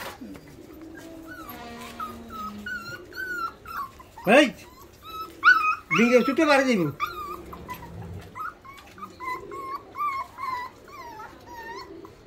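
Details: Rottweiler puppies at feeding time, eager for food, give high, wavering whines and a few sharp yelps while a person talks throughout.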